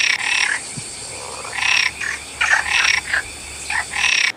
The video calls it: Frog Sounds